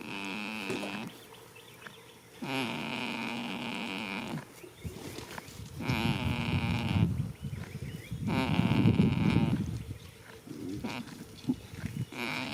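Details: Goat dozing in a spring field, snoring in repeated nasal, buzzing breaths; later snores turn rougher and louder, with low rumbling noise mixed in.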